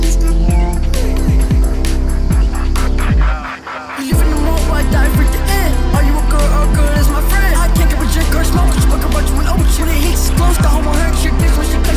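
Loud bass-heavy electronic music with a pounding beat plays throughout, with no animal voices.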